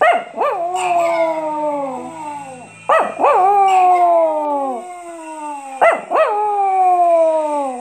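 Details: Pet Chihuahua howling on hearing bells: three howls, each opening with sharp rising yelps and sliding into a long, falling, quavering wail, spaced about three seconds apart, over a faint steady high ringing.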